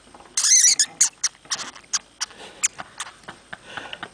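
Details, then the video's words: Hamster squeaking: an opening burst of sharp, high-pitched squeaks, then a string of short, separate squeaks and clicks roughly every third of a second, growing softer toward the end. "Hamster Squeaking Sound"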